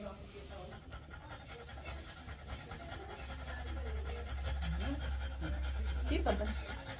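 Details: Female French Bulldog panting during trans-cervical insemination: quick, breathy pants at nearly four per second, steady and even, over a low mechanical hum, with a person talking quietly at times.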